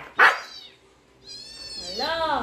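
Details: Husky of the Siberian breed reacting to dog sounds: one sharp bark, a pause, then a long high whine sliding into a lower, wavering howl-like moan; a voice says a word afterward.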